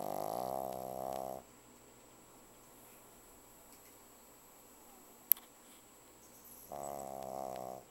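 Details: Vanilla the pug snoring very loudly: two harsh, vibrating snores with rich buzzing overtones, each over a second long, about five seconds apart, with near silence and one sharp click between them.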